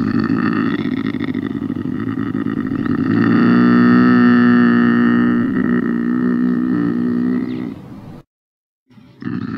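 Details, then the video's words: Long, hoarse lynx wail with many stacked overtones, building louder midway and sustained for roughly eight seconds before cutting off abruptly. A brief silence follows, then the call starts again. "Ryś - Lynx - Luchse"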